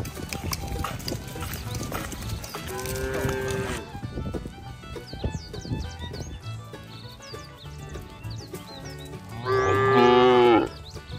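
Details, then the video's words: Cattle herded to the barn during the rainy season; busy outdoor background with rustling, thumps and faint bird chirps, a short low moo in the middle and a loud, rich moo near the end. "Bunyi sapi"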